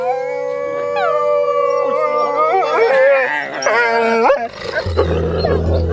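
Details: Hand-raised gray wolves at a bear rescue park in Veresegyháza, Hungary, howl in a chorus, long drawn-out tones overlapping with human voices howling along.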